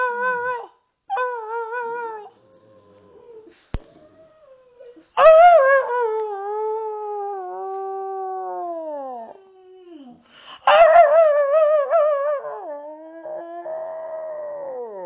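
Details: Indoor duet of a Boxer and its owner howling together: several drawn-out wavering howls, each starting loud and harsh, then sliding slowly downward and trailing off, separated by short quiet gaps.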